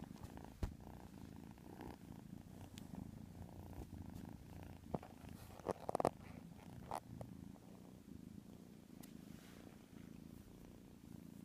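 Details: Quiet, steady snoring from a white kitten asleep indoors: a low, even rumble. Occasional sharp clicks and a brief rustle partway through rise above it.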